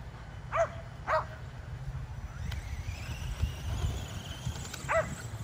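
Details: Home exercise session for five Kerry Blue Terriers and an E Revo remote-control car: two sharp barks close together, a quieter stretch with low rumbling, then one more bark near the end.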